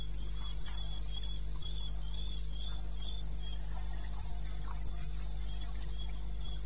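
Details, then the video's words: Cricket calling in the eastern Botswana wild at 2:30 AM, 21 May 2016; rapid, regular high-pitched chirps near three per second, a second fainter chirper beneath, and a steady low hum throughout. "1 Hour cricket sound"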